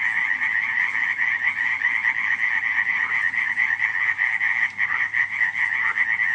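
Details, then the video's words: Frogs croaking at night in Radziszów in July 2015: a dense chorus of many overlapping rattling calls in two bright bands, one high and one lower, with continuous trilling pulses and no gaps throughout. "nocne kumkanie żab"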